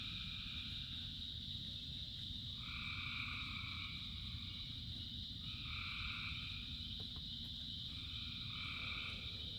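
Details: Rain-soaked frog chorus of thousands of frogs: an unbroken shrill drone with three bold, buzzy double-pitched trills, each lasting about a second and spaced roughly three seconds apart, all over steady heavy rain noise.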